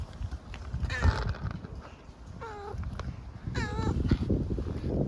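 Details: Homeless grey furry street cat in Istanbul, hungry, meows three times about every one and a half seconds, each call short and wavering, while a person speaks gently in Turkish and street noise rumbles.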